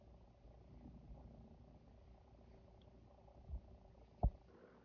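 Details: Female cat in heat, clinging to and throwing herself onto a neutered male cat indoors; low, steady rumbling purr running throughout, with two sharp knocks near the end.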